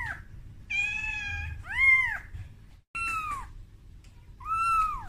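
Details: Young kitten Momo, scared after being brought out of its room for the first time, calls to its mother Amora; a run of varied meows, one flat and sustained, others arched and falling, with a brief silent gap.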